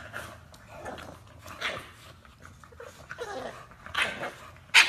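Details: Short broadband yelps and whining barks from an English Bulldog, irregular bursts about once a second with a sharp loud bark at the very end; faint background noise.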